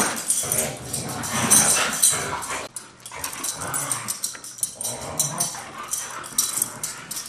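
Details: Best friends Taiga and Blade, two Siberian Huskies, roughhousing in play rather than a fight; continuous gravelly growling and snarling with scuffles, occasional sharp yelps, busy and uneven throughout.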